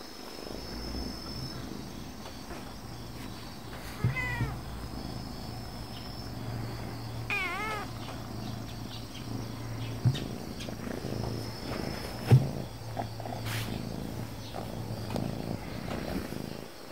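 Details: Affectionate, dog-like calico cat purring with a steady low rumble through most of the recording. Two short wavering meows break in near the middle, over faint background noise.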